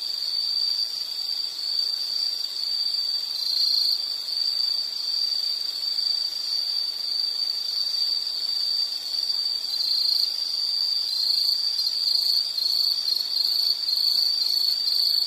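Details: Insects sing a continuous piercing trill with a fainter, higher shimmer above it, steady throughout with only small wobbles in pitch, and a quiet hissy backdrop.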